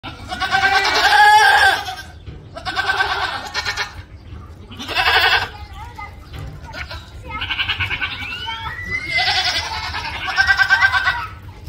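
A goat lets out loud, wavering, human-like screams in a series of harsh bursts.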